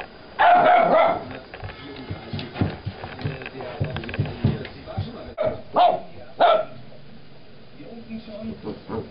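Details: Young Vizsla named Farina after her squeaky toy beneath a sofa, giving a long tonal yip, then two short sharp yips close together later on, over background speech and rustling.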